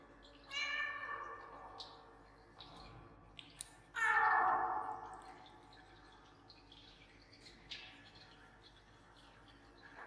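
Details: Pet cat pleading for something, with echo added to its voice: a short meow, then soft faint sounds and small knocks, then a long, loud, wavering meow, and one more faint call near the end in a quiet room.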